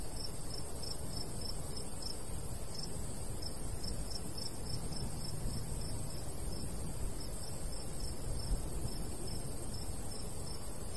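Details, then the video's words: Crickets of a summer wheat-field countryside chirp in rapid, regular high pulses, partly masked by a stronger low wind rumble that dominates the sound. "Countryside/cricket sounds"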